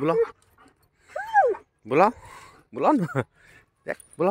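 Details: German Shepherd named Jack trying to meet his friend: arched, wavering whines and quick falling yelp-like cries in bursts, separated by short silences.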